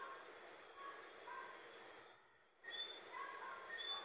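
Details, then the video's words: Brief high whistles from Johnstone's whistling frog, Eleutherodactylus johnstonei, quick upswept chirps repeated near the end, set against a constant high-pitched drone and softer overlapping calls from other callers. "Johnstone's whistling frog / Rana silbadora de Johnstone"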